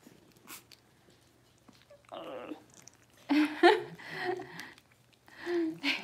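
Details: Six-week-old Cavalier King Charles Spaniel puppies indoors while being dewormed and having toenails trimmed; loud harsh yelping cries in bursts, one long squeal near the middle, with handling noises in a small room.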